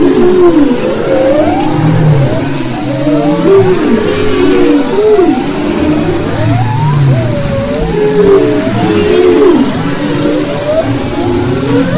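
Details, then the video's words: Maui humpback whale song from February 22-24, 2011: a repeated series of looping, swooping whoops rising and dipping every second or so, with low pulsed grunts and overlapping distant singers throughout. "Humpback Whales and Their Songs"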